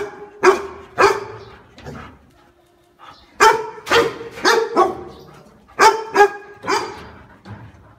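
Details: Dog giving repeated sharp barks in short bursts of two or three, with brief quiet gaps between groups and a fading yelp-like tail after some barks.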